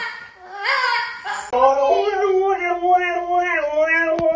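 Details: Siberian husky screaming at a French bulldog indoors: a long, wavering, high howling scream held for several seconds with shifting pitch, after a brief burst of human voices at the start.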